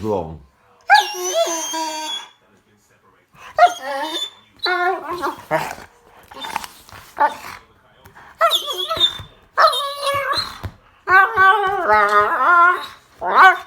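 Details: Rottweiler puppy making funny sounds when happy: repeated bursts of harmonic whining and yodel-like yelps with short barks, separated by pauses, with a person speaking nearby.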